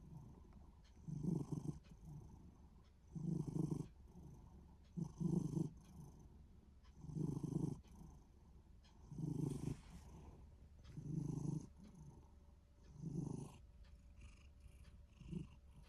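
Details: Minuet cat in a good mood, snoring or purring; low rumbling bursts come in a steady rhythm about every two seconds, eight in sixteen seconds, with quiet gaps between them.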